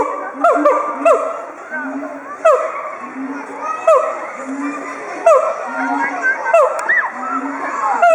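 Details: Two excited siamangs at Chiba Zoological Park, Japan, 18 October 2013, throat sacs swelling as they call together in a threat display against territorial intruders. Low booming notes alternate with loud rising and falling whoops, with shouting schoolchildren nearby.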